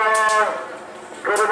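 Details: Cattle at a Kerapan Sapi bull race on Madura island, East Java, Indonesia: a short, tonal, harmonic moo that drops away, then a second call begins as the clip ends, over crowd hubbub.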